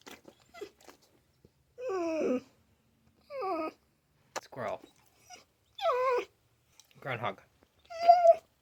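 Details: Talking dog Mishka Ballou vocalizing indoors in reply to a question about a shed animal, short moaning harmonic calls with bending pitch separated by pauses, mixed with quieter human speech.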